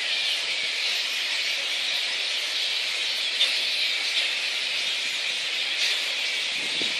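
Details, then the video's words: Megabats (flying-foxes) in Boonah, Queensland, Australia, on 02/01/2014, giving a steady high-pitched screeching din with a few brief sharper squeaks standing out and a low squawk near the end. "megabat (flying-fox)"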